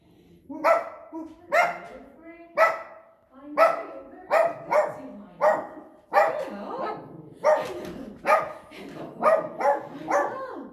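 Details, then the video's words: Brown Dog, a Chihuahua, barking at a neighbour who came to the door to complain: sharp, high yapping barks repeated about once a second, about a dozen in all, with people talking in between. "Chihuahua, Brown Dog, Doorbell"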